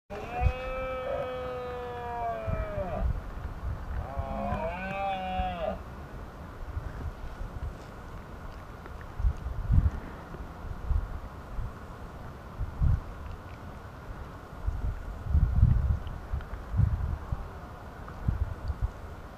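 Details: Red deer stag bellowing during the rut (berrea) in the Asturian mountains, Spain: two drawn-out, harmonically rich moaning roars in the first six seconds, the second shorter and wavering. After that only low wind rumble and gusts remain.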